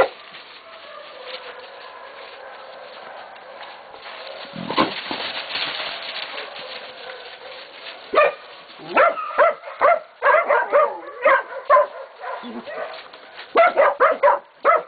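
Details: Catahoula and Black Mouth Cur pups aged 11 to 16 weeks baying a pig at Golden Creek Catahoulas Kennel; after a quiet stretch a run of short, sharp barks breaks out in quick bursts, with rustling between them.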